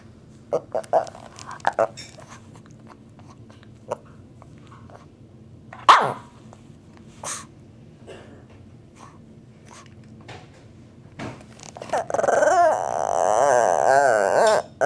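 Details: A Shih Tzu makes odd wavering grumbles and whining noises, asking to play, also pawing at people and pulling at pants to make it known.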